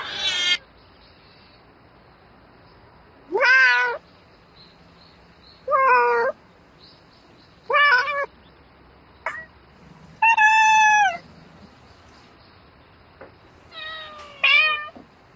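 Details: Night mating calls of a domestic cat: about seven meows spaced irregularly several seconds apart, some clipped, others long and level-pitched, separated by near silence.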